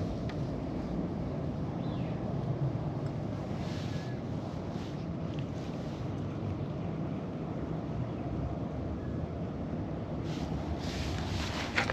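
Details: Outdoors, steady wind buffeting the microphone gives a continuous rumbling roar, with brief hissy gusts and no animal calls.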